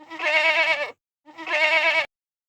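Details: Goat bleating twice, each bleat a loud, wavering, nasal call lasting under a second, separated by a brief silence, with no other sounds.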